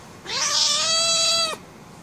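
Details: Annoyed indoor female cat demanding to be let out: a single drawn-out harsh meow, rising quickly then held level for about a second with a noisy, raspy upper edge before cutting off.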